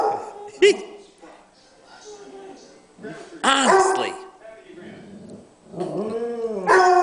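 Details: Pet dogs Sugar, Rickey and Lana howling at home: short arching howls rising then falling in pitch, separated by quiet gaps, with brief yips and a woman's voice faintly in the background.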